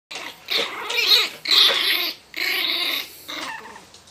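A Miniature Pinscher snarls and growls in harsh, rasping bursts while guarding its box.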